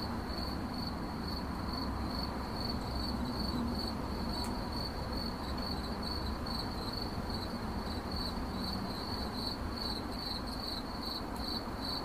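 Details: A cricket chirps steadily, its sharp high pulses repeating evenly, a single faint click midway, all above broad low-frequency background noise.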